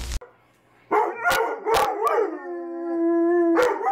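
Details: Pet dog waking its owners in the morning: a short bark or yelp, then a sustained wavering howl held steady on one pitch for over a second, with sharp clicks and a room background.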